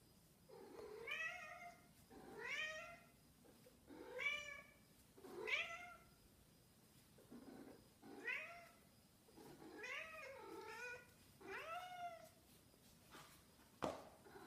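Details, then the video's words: Snowshoe cat that misses its owner, meowing indoors: a run of about nine drawn-out, harmonic meows, each rising then falling, spaced roughly one to two seconds apart, with a sharp click near the end. "Snowshoe Cat 🐱 Misses Me"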